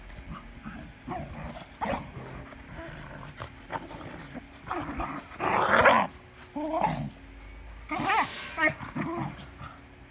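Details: Irish Terrier in spring, giving a string of short, rough growling and whining vocalizations in uneven bursts, loudest and densest around the middle and again near the end, with quiet gaps between.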